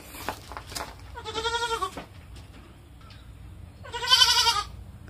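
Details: Baby female domestic goat (kid), called a lonely crybaby by her owner, who asks if she is lonely when he is gone; two wavering, strongly harmonic bleats about two and a half seconds apart, the second louder, with faint human speech around them.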